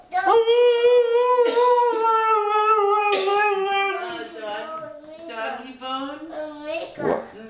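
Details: Mishka, a pet Siberian Husky, sings indoors after being groomed: a long sustained howl sliding gently downward from a steady tone, then broken, wavering yodel-like vocal bursts; owner praises her as a good girl.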